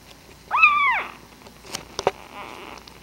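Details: Puppy giving one short, arched whine that rises then drops away over half a second, followed by a few faint clicks and soft rustling.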